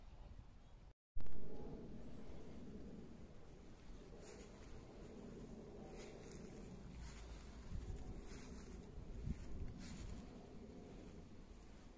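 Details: Outdoor garden ambience of steady low wind rumble after a brief dropout, with faint distant engine-like hum and no animal voice.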